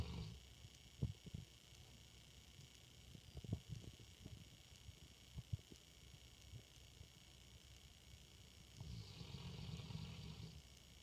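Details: Asleep in a dark room, Gemma, a female English Mastiff, makes soft clicks and shuffles before a low, droning, manlike snore swells for about two seconds near the end.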